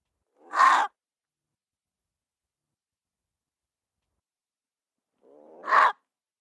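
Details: Two abrupt, rough barks from a gray fox spaced about five seconds apart, the later one preceded by a short, low, buzzy growl; nothing else between them.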